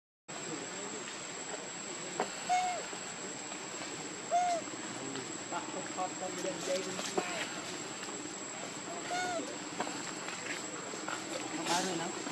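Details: Baby monkey Leo, hungry and begging its mother for milk, gives short arched tonal cries, three spaced several seconds apart over a steady hiss with scattered clicks, faint chirps and a constant high whine.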